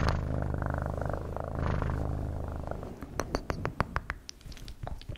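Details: Domestic cat purring in a steady low rumble for about three seconds, then fading as sharp clicks and tapping sounds take over.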